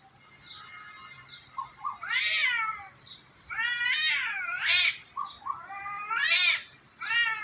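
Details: A pair of cats, one white and one black, face off on top of a tree, just threatening each other: long harmonic yowls that swell and bend upward, interspersed with short high meows, separated by brief quiet gaps.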